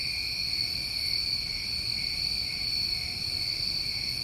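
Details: Steady ringing trill of numerous crickets on a New England summer night, unbroken shrill bands holding even loudness throughout, over a faint low murmur.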